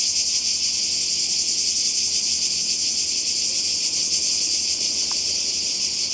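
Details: Summer cicada chorus on the Croatian coast, a loud unbroken high buzz with a slight pulsing shimmer, steady from start to finish.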